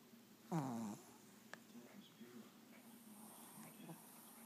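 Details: A 6 1/2 year old female Shih Tzu named Windy, asleep on her back, gives one short, sharp falling snort-like snore early on, then a soft low hum under quiet room sounds.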